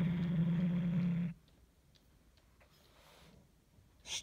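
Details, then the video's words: Pet cat Hulusi, having carried its toy mouse under the armchair, growls to keep others away: a low droning rumble lasting just over a second, then quiet room sounds and a brief rustle at the end. "Oyuncağını koruyan kedi Hulusi hırlıyor"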